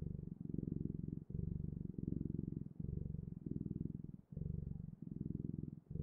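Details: Low, throbbing cat purr in clear breath cycles, each burst lasting under a second and separated by brief pauses.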